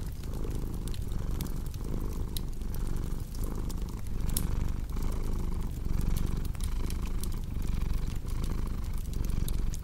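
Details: Low, even purring rumble from a cat, rising and falling in regular breath-paced waves, set against a crackling fireplace with scattered sharp pops.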